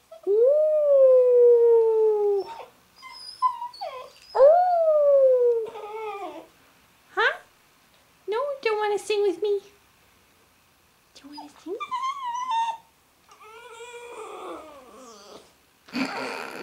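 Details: A female Labrador puppy, one day in her new home, howls along with a person singing, giving long, falling, wavering notes.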